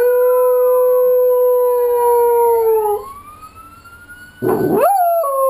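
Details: A dog howls in response to a computer-generated siren, a long steady howl sliding downward then rising again as the siren wails.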